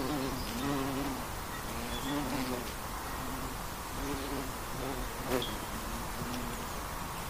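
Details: Flying honey bee heard as a soft, wavering hum that rises and dips in short swells, fainter than the surrounding broadband hiss, with an occasional brief tick.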